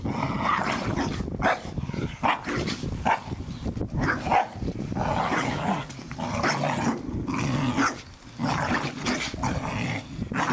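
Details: Several Staffordshire Bull Terriers at play in the garden, allowed to destroy their first Christmas ball; dense, throaty growling runs almost continuously, broken by sharp barks and snorting breaths.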